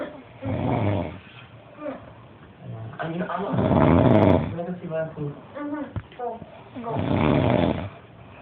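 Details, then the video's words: Carlos, a dog, snoring heavily: loud, rough, rasping snores come in long swells about every three seconds, with a voice heard between breaths. "Carlos snoring like krazy"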